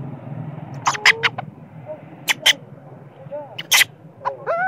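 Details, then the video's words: Sleepy baby monkey angry with its mother screams in harsh broadband bursts, with thin wavering whines between them, all over a low motor rumble. "Spoil baby monkey cry,screaming,angry with mom monkey when it is sleepy"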